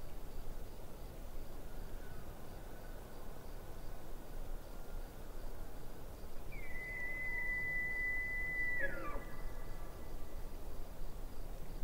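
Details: Distant elk calling by a lake: one long, high, thin whistled note holds steady for about two seconds, then drops sharply at the end, over a steady low wash of ambient noise.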